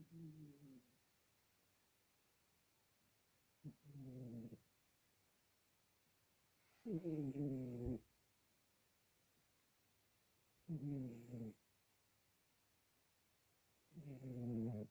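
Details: Sleeping pet cat Sasha gives five rough, throaty snores over fifteen seconds, each lasting about a second with a slightly falling tone, spaced three to four seconds apart in a quiet room.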